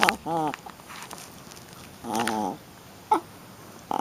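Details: Young female Shih Tzu playing rough makes two wobbly, whining growl-grunts about two seconds apart, then a sharp little squeak near the end amid quiet indoor rustling.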